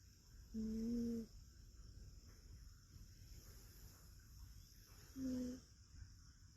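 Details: Sleeping rescued cat pillowed on an arm in a multi-cat household gives a loud snore: a steady humming drone under a second long, then a shorter one roughly four seconds later, with faint room hiss between.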